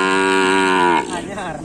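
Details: Cattle newly brought straight from Sapudi Island, shown at an anniversary event; a single loud, rich harmonic moo held steady for about one second, then cut off, with crowd chatter underneath.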